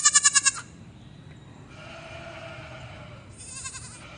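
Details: Baby goat on a farm giving a short run of quick, pulsed, high bleats at the start, then quiet, with a fainter pulsed bleat returning near the end.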